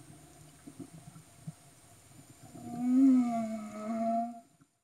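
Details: Humpback whales recorded underwater off Tonga in 2015. Quiet low rumbling and clicks give way to a single loud, harmonic moan that slides slightly downward, held for over a second before fading out.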